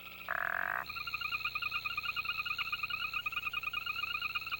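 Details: Frog calls of a tuneful kind: one short, bleating croak, then a steady, rapid high-pitched trill with pulsing overtones that continues to the end.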